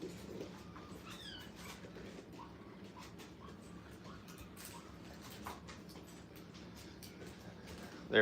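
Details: Nine five-week-old Brittany puppies on their first time in a playpen at a training kennel give soft, thin whines, short bent high notes scattered every second or so over a low room hum, with a brief voice at the end.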